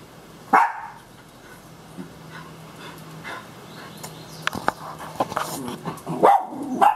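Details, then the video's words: Two pet dogs, one a completely blind miniature schnauzer, greeting their owner in the morning: a few short sharp barks with long quiet gaps, a woman's voice and laughter around them. "Happy dogs greet me cheerfully out of bed."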